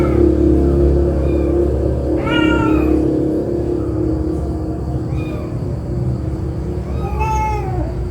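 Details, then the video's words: Angry mother cat whose kitten has been bitten, giving loud drawn-out meows with a falling tail near 2 and 7 seconds, plus shorter, thinner mews between them, over a steady low hum. "MAK MEONG MARAH ANAKNYA DIGIGIT"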